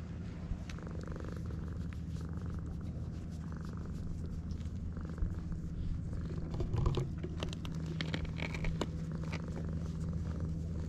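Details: Purring stray cat on a Japanese cat island during a friendly first encounter with other cats, GoPro HERO8 recording; a steady, even low hum with clear sustained tones, scattered clicks and a soft rustle near seven seconds.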